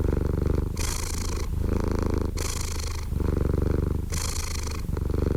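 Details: Close, even purring from a domestic cat, a throbbing low drone punctuated by three bright, breathy swells in about five seconds, each followed by a darker rumbling stretch.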